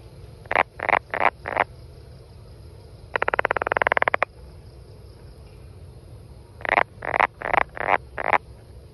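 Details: Brown frog giving bursts of short rasping croaks, four in quick succession, then a long rapid pulsed rattle, a pause, and another series of six croaks; faint low hum throughout.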